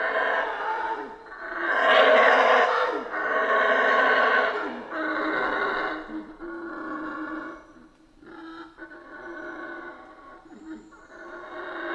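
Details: Howler monkeys roaring in a Central American rainforest, a long series of deep, harsh, pulsing howls rising and falling roughly every few seconds, loudest early and softening toward the end.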